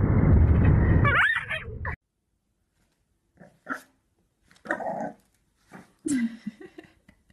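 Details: French Bulldog puppies: a burst of broad noise gives way to a short high whine, then a few brief, scattered yips and barks separated by silences.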